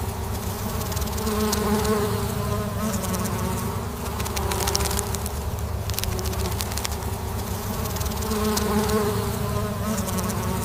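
Honeybees hum steadily, a low droning buzz from many wings rising and falling gently.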